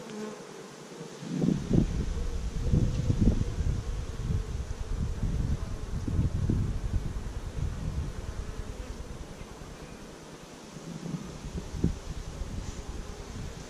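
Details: Honey bees of a young beekeeping colony, week five after 15,000 bees were installed in May 2017, GoPro-recorded: constant hive hum overlaid by repeated heavy low-pitched bumps and rumbles throughout.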